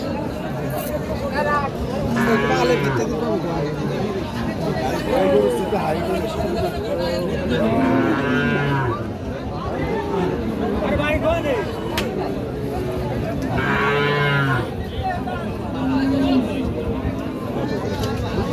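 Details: Sahiwal cattle at a crowded cattle market, low drawn-out moos rising out of steady human chatter and bargaining voices, three main calls spaced several seconds apart.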